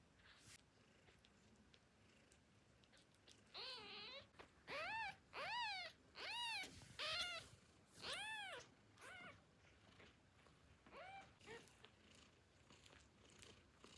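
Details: Famished newborn kittens mew for their mother while nursing. A quick run of about eight high, arched cries comes in close succession, then tapers into two fainter mews over a soft background hiss.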